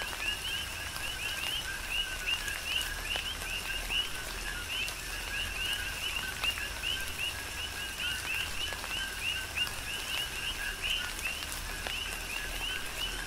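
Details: Coqui frogs serenade through tropical rain on the Big Island, Hawaii: an unbroken stream of quick rising chirps from many frogs, evenly paced, layered over continuous rain hiss and scattered raindrop taps.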